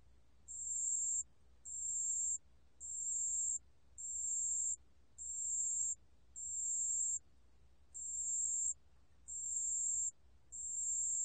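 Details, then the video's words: Sustained high-pitched ringing pulses of a pale bell cricket, from Korea's National Institute of Biological Resources in 2020. The pure, tinkling tones of around 0.7 seconds recur regularly about every 1.2 seconds, nine times in total, against quiet low background noise. "담색방울벌레, 여러번 듣기, 곤충소리"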